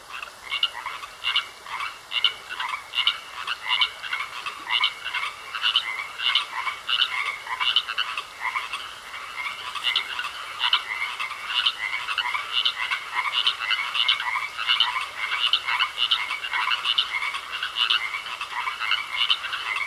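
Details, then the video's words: Frogs in a pond croak in a long, dense chorus of rapid raspy pulses, many animals calling together with loudness swelling and easing, over a constant high faint tone. "Sounds Of Frogs Croaking In A Pond"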